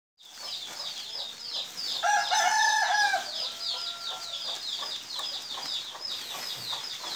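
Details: A cricket at a cricket harvest in Pemusupan, Penolih, Purbalingga, Indonesia, chirps in quick, steady high-pitched pulses, with a rooster crowing briefly in the background.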